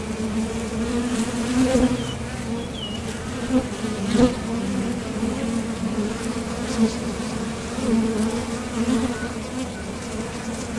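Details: Honeybees buzzing at the entrance of a top bar hive as they leave for and return from foraging for nectar; a dense, steady hum with strong low tones and brief louder swells as individual bees pass close.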